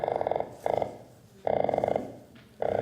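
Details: Underwater, an Atlantic croaker makes bursts of rapid, buzzy drumming, each about half a second long, produced by fast muscles moving along its swim bladder.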